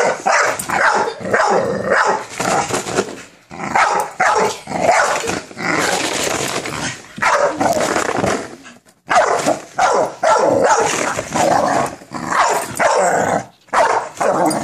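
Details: American Bully named Minerva confronting a frosted mini wheats cereal box she fears, giving repeated loud barks mixed with rough growls in dense runs, broken by short gaps.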